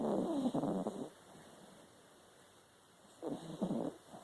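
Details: Snoring dog: a rough, fluttering snore for about a second, a quiet gap of two seconds, then another gravelly rattling breath.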